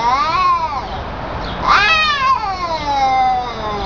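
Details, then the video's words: Elderly cat meowing: a long drawn-out wavering cry that rises and then slowly falls, rich in harmonics, with a brief higher yowl in the middle. "Senile Talking Cat!"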